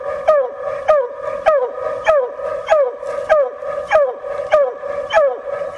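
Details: Female Bluetick Coonhound on a coon hunt, giving a steady series of loud, ringing bawls roughly every half second, each note sliding downward, about ten in a row.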